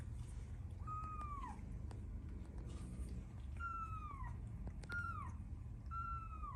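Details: Newborn kittens with their mother, meowing for milk indoors: four short, high meows that fall in pitch at the end, one near the start and three closer together near the finish, over steady low background hum.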